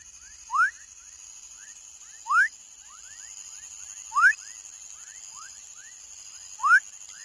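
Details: Young frog giving short upward-sweeping chirps, a loud one about every two seconds with softer rising chirps between them, over a steady high hiss.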